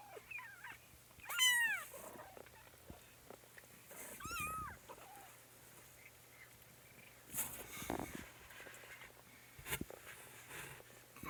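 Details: Kittens indoors, woken from sleep: two high, sharply falling meows about three seconds apart, then softer rustling and small clicks in a quiet room.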